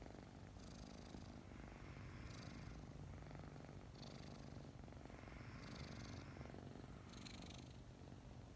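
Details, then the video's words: Morning purring from two snuggling kittens around five months old, recently adopted; a deep, even throbbing drone runs throughout, overlaid by airy breath pulses about every one to one and a half seconds. "Snuggling two purring kittens"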